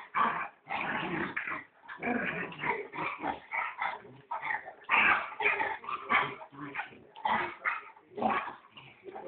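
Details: Small puppy yapping almost without pause, a dense series of shrill barks and squeaky yips tumbling over each other, with brief whimpering notes in between, in a quiet room.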